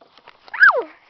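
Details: Domestic cat during a fight at home, a mostly black male chasing a black-and-white fluffy female who wants him away; one drawn-out wail rising then sliding down in pitch over about half a second, preceded by soft faint noises.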